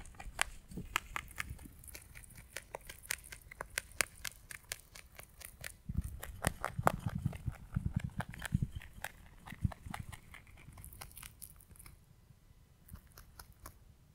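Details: Pet rabbit eating hay indoors, recorded up close: fast, crisp crunching bites as sharp irregular clicks, growing denser and heavier midway through, then thinning to quieter nibbles at the end.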